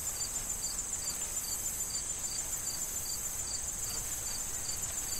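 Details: Autumn corn field crickets ahead of the fall harvest: evenly spaced high chirps roughly every quarter second over a constant shrill trill, with soft wind noise through the stalks.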